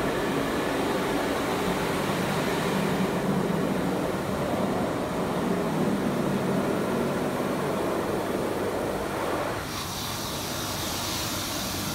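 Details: Steady roar of car wash machinery and spraying water fills the recording, its tone shifting brighter and hissier in the last two seconds.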